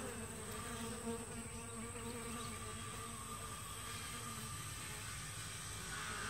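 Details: Honey bees at the entrance of a two-week-old walk-away hive split, steady low droning hum of flying traffic, dense and continuous, with a constant high electronic tone above.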